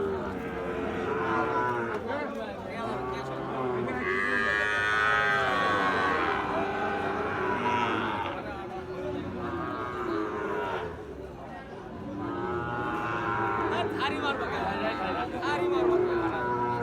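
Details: Cattle at Ambari haat, a livestock market where Gir and Sahiwal bull calves are traded, held Fridays and Mondays; long drawn-out lowing moos swell twice, over steady crowd chatter and background music.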